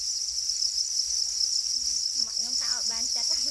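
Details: Black crickets, also called para crickets, calling angrily over their eggs: a constant piercing high trill throughout, with a person's voice speaking softly underneath in the second half.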